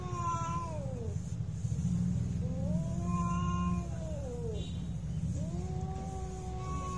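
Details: Domestic cats fighting, a real fight: long drawn-out harmonic yowls that rise and fall, each lasting one to two seconds, over a steady low rumble of background noise.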